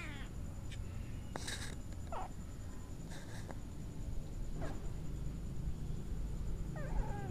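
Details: Orange kitten, fed every day and visiting the house at mealtimes, hissing whenever a person tries to touch it: several short, harsh, breathy bursts spread across the recording, with faint mewing at the start and end over steady low hum.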